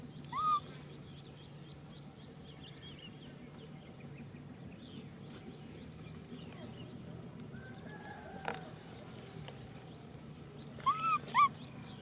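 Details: Nui Simon, a baby macaque, cries for a hug, giving one clear arched whimper at the start, then a long quiet gap before a quick pair of rising-falling cries near the end, with faint background hum.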